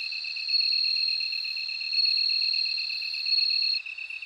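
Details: High, bell-like ringing trill of a bell cricket rising in three louder swells, then dropping away near the end. A fast, even pulsing of a second insect continues below throughout.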